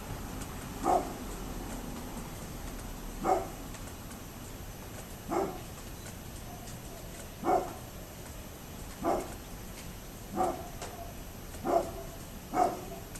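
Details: Neighbour's dog barking, recorded 27 October 2011: single bark bursts repeated roughly every one to two seconds, eight in all, heard at some distance over a steady background hiss.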